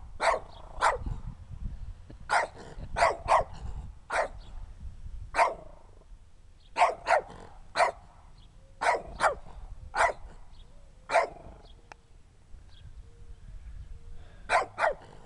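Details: Small dirty dog barking in short sharp bursts, often in pairs or threes with pauses of a second or more between groups, against a low background rumble.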